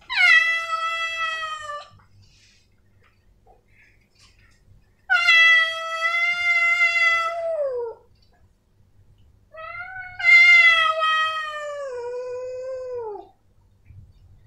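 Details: Male domestic cats, named Snowy and Milo, give three long drawn-out meows, each a harmonic-rich wail of two to three seconds that slides downward at the end, separated by quiet pauses indoors.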